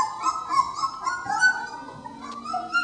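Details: Several three-week-old puppies exploring their newly expanded pen for the first time, with overlapping high whines and yelps that waver and slide, a busy chorus of small voices.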